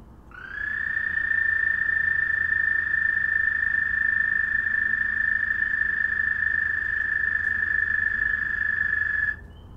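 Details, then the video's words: Frogs calling one another at night: a single loud, steady, high trill holds one even pitch for about nine seconds, then stops abruptly over a faint low background hum. "Frog Trilling"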